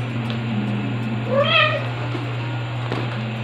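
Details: Two-month-old white male kitten, still a frequent crier, nursed by two mother cats: one short arched meow, rising then falling, with stacked bright harmonics, over a steady low hum and quiet room noise.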